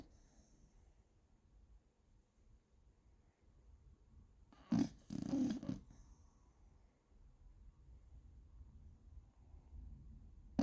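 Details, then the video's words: Snoring Beagle called Gina: one rough, low, drawn-out snore of about a second, set among soft, faint breathing. "Бигль Джина храпит"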